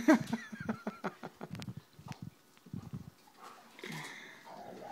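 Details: Rhodesian Ridgebacks playing with dog bubbles, giving a run of short, low, rumbling growl bursts in quick uneven succession, fading into softer scattered grumbles, then a brighter hissing noise near the end.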